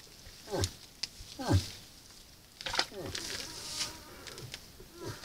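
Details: Moose at a salt lick during the rut, caught by a camera trap: short, low, throaty grunts that slide downward, about four across five seconds, with faint rustling between them.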